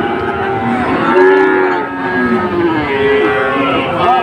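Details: At a Dhaka cattle market on 16 September 2024, Sahiwal bulls give sustained, wavering moos that rise and fall, two calls overlapping amid a background of market chatter.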